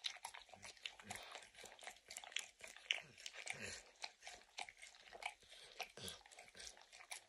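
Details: Max the dog works peanut butter and kibble out of an orange mat. His licking gives a busy patter of crackly, slurping clicks, close to two per second, mixed with occasional heavier chewing crunches.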